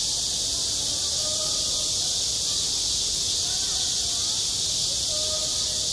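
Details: Cicadas singing in summer at a school playground: a dense, unbroken high-pitched hiss that holds steady throughout, with faint distant voices drifting underneath.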